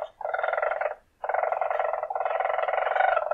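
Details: Weasel giving rapid, buzzy pulsed trills: a short burst, a brief pause, then a long continuous run of fast, even pulses.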